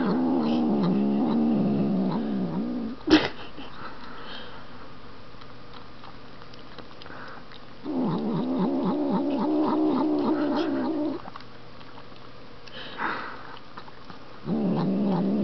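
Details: Pet Siamese cat growls each time it is petted while eating ice cream. Three bouts of low, throbbing, moaning growl come with quiet gaps between them, and there is a sharp click early on.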